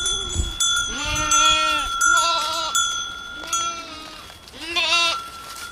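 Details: Several goats bleating in a village: four nasal, quavering bleats, some from overlapping voices, each under a second long. A soft thump opens the recording, and a faint steady whine persists underneath.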